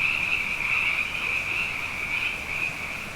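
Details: Abundant frogs at night following two wet years running, a loud, close, pulsing high trill from massed callers, swelling and easing slightly over a few seconds.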